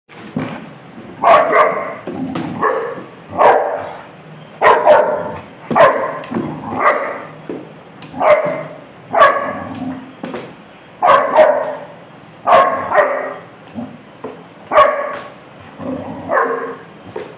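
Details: A Rottweiler puppy, reacting to a roll on a chair, gives sharp, mid-pitched barks, often in pairs, about every few seconds.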